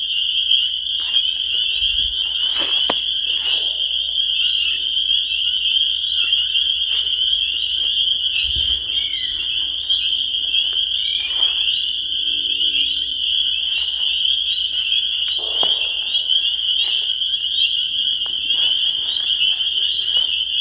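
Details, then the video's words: Spring peepers calling in a dense chorus, many high, piercing peeps merging into one steady shrill ringing that never pauses, with a couple of dull low thumps early on. "The Sound of Spring Peepers"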